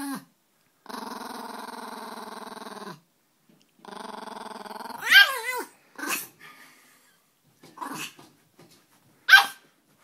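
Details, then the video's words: Peka-Pom dogs growling at another dog that annoys them: two long, even, rumbling growls, followed by several sharp yips and barks. "Peka-Poms growling"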